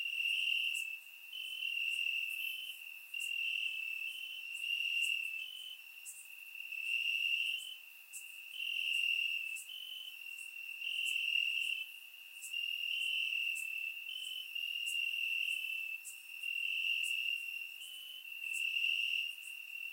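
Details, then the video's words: Summer-night crickets in grass in Bulgaria, recorded with a surround microphone: a steady high trill broken into rhythmic swelling bursts about every two seconds, with faint higher ticks throughout. "Cricket Sounds - Crickets Chirping at Night"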